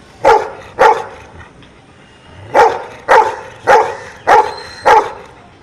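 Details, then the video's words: A dog that knows numbers answers "seven" with seven short, sharp barks: two quick ones, a pause of over a second, then five more at steady half-second intervals. "Dog knows numbers"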